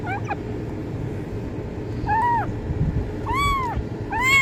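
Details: Kitten meowing meant to attract cats: a faint cry at the start, then three arched meows growing louder toward the end, over noticeable low rumbling background noise.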